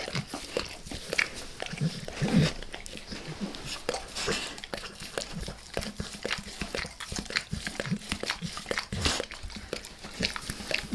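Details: Max, a dog, keeps licking his owner's face in a small room, captured close for ASMR with no speech; a steady stream of moist smacks, tongue slaps and crunchy clicks, with occasional louder slurps.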